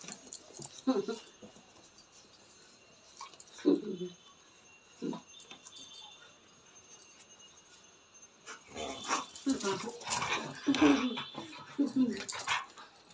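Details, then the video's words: Pet dog in Nepal, jealous and angry after smelling street dogs its owner's mother had fed and touched on an evening walk, complaining with short whining, groaning vocalisations in scattered bursts, denser toward the end, with some human speech. "Dog is jealous of others dog"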